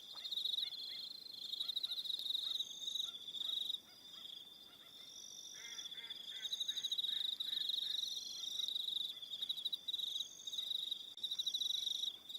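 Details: On Aroha Island in New Zealand at evening, crickets keep up a steady high pulsed trill while a burst of lower clicking, rattling calls breaks in around the middle before fading.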